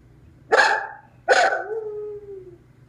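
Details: Left alone at home after his owner went to the post office, the dog Clyde gives two abrupt barking yowls, the second trailing into a long, slowly falling howl tone, over faint low hum.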